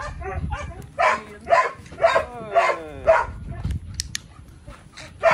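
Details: Belgian Malinois named Psycho, a male dog, barking during an obedience session with heel commands and praise. Five loud, harsh barks come in a steady series about half a second apart, with a soft voice and faint music in the background.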